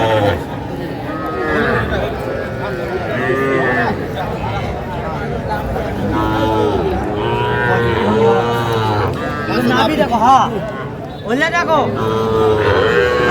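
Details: Young bull and heifer calves at a livestock market in Cumilla, Bangladesh, 11 January 2025, lowing in repeated drawn-out moos with rising and falling tones amid bargaining voices and background music.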